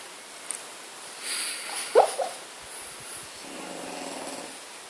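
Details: French Bulldog named Bella, dreaming in her sleep: a short squeaky yelp-like burst midway, a second softer squeak, then a low buzzing, snore-like murmur; otherwise quiet background.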